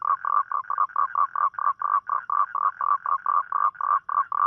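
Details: Nighttime toad calling for a mate: quick, throaty pulses in a rapid, slightly uneven series, roughly four per second, with a mid-pitched buzzy tone and no other sounds.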